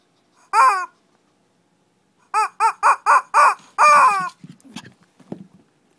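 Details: In Kochi, Japan, a Shih Tzu in a little fight gives one sharp yap, a pause, then five quick high barks and a longer yelp, followed by soft scuffling and muffled grunts.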